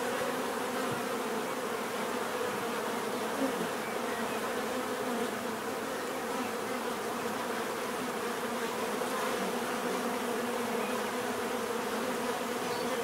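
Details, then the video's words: Bees buzzing naturally, a steady, continuous low drone with layered hum tones and no pauses, like many wings beating together, with a faint hiss above it. "bees therapy relaxing natural buzzing sound"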